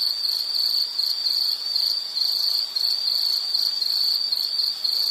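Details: Insect calling in a bright, narrow buzz of quick repeated pulses, grouped into slightly uneven bursts that run end to end without silence.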